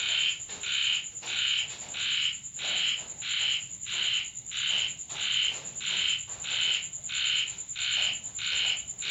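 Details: Frogs call at night in steady repeated bursts through the sound of falling rain at a home in Thailand.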